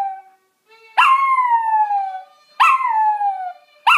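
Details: A Maltese dog sings along to a TV programme with drawn-out howls that start high and slide slowly downward, each about a second long.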